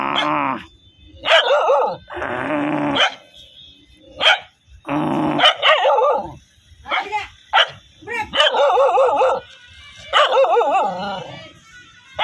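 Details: Angry dogs barking loudly: a rapid, irregular series of harsh, rasping barks, some short and sharp, others drawn out into wavering growl-like bursts.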